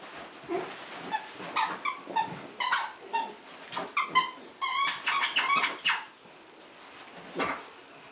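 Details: Dachshund Lily playing indoors with Zandra, a Malamute/Akita cross puppy about 10 weeks old; rapid high, squeaky yelps and short barks come in clusters, building to a dense burst near the middle, then one last yelp.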